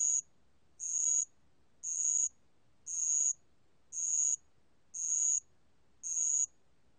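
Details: A ground cricket (Korean name 알락방울벌레) sings high, buzzy trills about half a second long, repeated roughly once every second.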